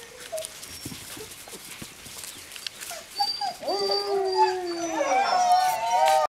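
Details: Playing Greenland Dog puppies, seven weeks old, at Tinka's Kennel in June: faint scattered yips give way to long, sliding howls that build into a chorus of several overlapping voices.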